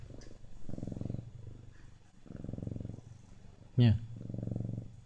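A Siamese cat purrs steadily, the deep rumble swelling in three bursts about every one and a half seconds. A single short, sharp sound with a quick rise and fall cuts in just before the last burst.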